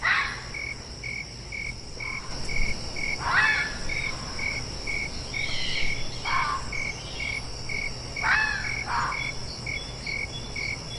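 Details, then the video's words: Fox giving short, harsh, raspy calls, about four of them spaced a few seconds apart, over a steady background of high, evenly pulsed cricket chirping. "Fox Sound Effects -Apparently they DO Actually Have Something to Say!"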